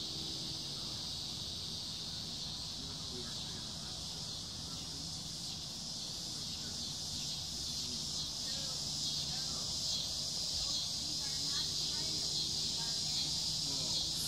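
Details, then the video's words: Summer cicadas produce a continuous shrill buzz that stays level and constant for the whole stretch. Faint, softer sounds lie beneath it in the middle portion. "Sound of summer Cicada's"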